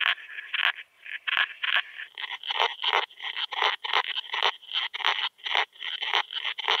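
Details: Veysel's slender bush-cricket singing at Winden am See, Austria, on 13 July 2020, picked up through a Pettersson D 100 ultrasound detector: dense, scratchy buzzing bursts repeated in quick, uneven succession, with brief gaps between pulses.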